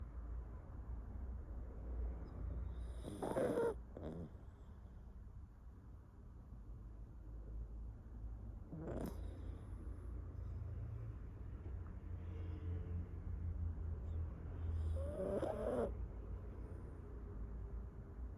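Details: A pet dog snoring while asleep at home, with drawn-out rasping breaths at about 3, 9 and 15 seconds over a low steady hum.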